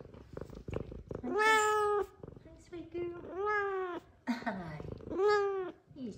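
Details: Female F2 Savannah cat gives three long, clear, slightly arched harmonic meows with a short chirpy note between, while a woman greets her softly.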